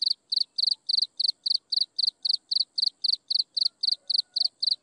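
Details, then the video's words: Insect chirping at sunset, a bright high trilled pulse repeated steadily almost four times per second throughout, each burst a quick cluster of clicks, over a very quiet background with a thin constant high hum. "Listen to insects chirping in the sunset"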